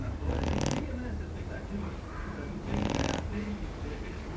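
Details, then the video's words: Kamy, a female Shar Pei, snoring while asleep: two harsh, noisy rasping snore bursts about two and a half seconds apart, with softer breathing rumbles in between. "Shar pei roncando Kamy"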